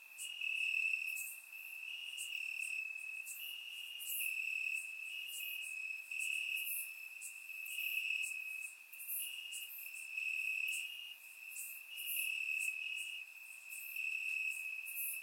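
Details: On a warm summer night in Bulgaria, crickets chirp in the grass; a constant shrill trill pulses in regular waves about every second, with many short high chirps from neighbouring insects layered on top, captured via surround microphone.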